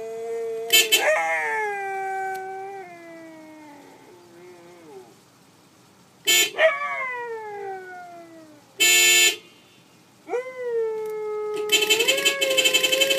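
A Siberian Husky howls in long, wavering, sliding tones, answering short blasts of a car horn.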